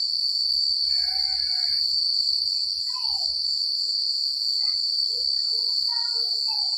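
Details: Night-time crickets in secluded countryside keep up a continuous shrill trill, while clearer lower calls from other animals break in: a short warbling burst, a descending note, then several brief chirps.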